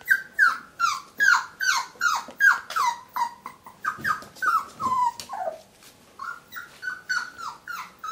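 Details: A whippet named Muffin faces its mirror reflection indoors, giving a fast, steady run of high, downward-sliding yelping whines, about two and a half per second, pausing briefly midway before resuming.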